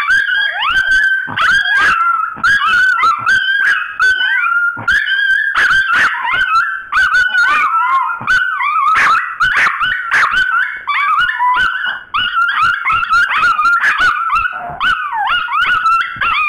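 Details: Two pet dogs squabbling over a bone, their exchange growing rowdier; dense overlapping yips, whines and yowling barks in quick succession, pitched mid-high and continuous throughout.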